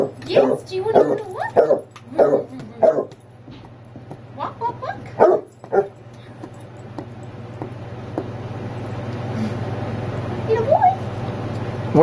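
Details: Basset hound at home barking and whining before its nightly walk: a burst of rapid, uneven barks and yelps in the first six seconds, then a steady hum and a person's voice.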